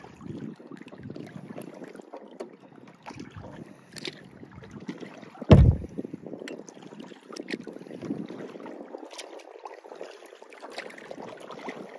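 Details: Kayaking around Steere Isle in the St Mary's River, Michigan: soft paddle and water swirls with light wind noise, one sharp knock about midway, and no animal voices.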